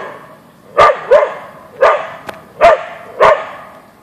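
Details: Boeing, Siberian Husky (Ausky), barks at a deer in the backyard; five short sharp barks, the first two close together, then evenly spaced every half second or so, plus a faint click.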